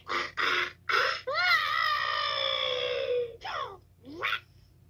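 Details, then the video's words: Toad screaming, recorded 2/10/2022: a few short rough bursts, then one sustained, quavering, harmonic cry lasting about two seconds and gently falling, followed by two brief upward-sweeping squeals. "Toad Screaming"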